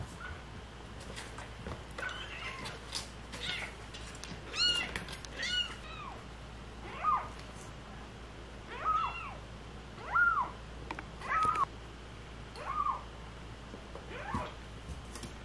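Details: Stray kitten from a rescued cat family mewing insistently, short rising-falling meows repeated about every second, clustered early then evenly spaced, over a low constant hum with some rustling.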